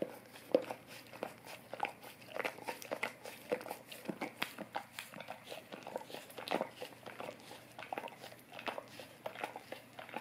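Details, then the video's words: Close-up licking by a golden retriever working at an Orapup tongue cleaning brush for fresher breath. Moist clicking laps and tongue smacks follow one another unevenly, with brief pauses, against a quiet indoor background. "Golden Retriever Licking Orapup Tongue Cleaning Brush"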